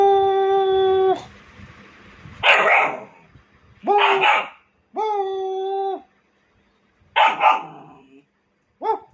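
A dog alternates steady, tonal howling whines with rough, explosive barks.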